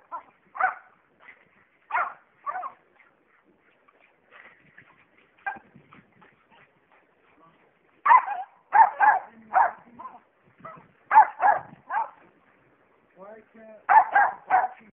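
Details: Jack Russell Terriers playing tetherball give short, sharp bark and yip bursts in scattered groups, densest near the middle and end, with a person's voice speaking encouragement between them.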